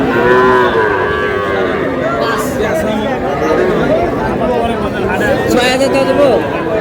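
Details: Young cattle, small bulls and heifer calves, at a crowded market in Madaripur, Bangladesh, where a farmer is buying; several drawn-out, wavering moos rise over constant crowd chatter and bargaining voices.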